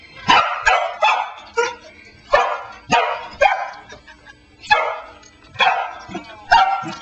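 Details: A female Pembroke Welsh Corgi barks at a cell phone on the floor, short bright sharp barks and higher yips about two each second with brief gaps, after listening with head cocked.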